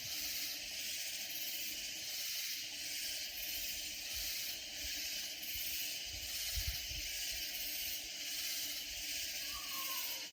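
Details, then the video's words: Loud katydids in Hill Country near San Antonio, Texas: a dense, steady, shrill high chorus that pulses in regular beats about twice a second, with faint low rustling and handling noises underneath. "Sounds of Loud Katydid Insects"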